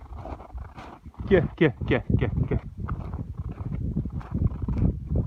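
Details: Stallion Ataman, filmed on 26.01.22, gives a burst of short falling harmonic squeals around the first two seconds, then low thuds and rumbling noise, with a man's voice talking to the horse.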